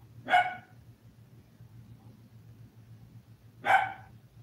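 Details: Indoor live recording of seven toy poodle puppies, five weeks old: two short, bright barks about three and a half seconds apart, quiet between them apart from a constant low hum.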